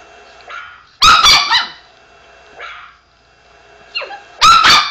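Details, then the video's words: Pet Chihuahua barking at a played recording of a dog barking: two loud bursts of shrill, clipped yaps about three seconds apart, with softer whiny notes between. "the chihuahua barking"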